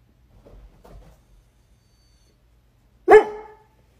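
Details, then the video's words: Doberman fussing in bed until allowed under the covers: a few soft grumbles, then one loud, sharp bark near the end in a small indoor room. "Funny Doberman fusses until owner lets him under the covers!"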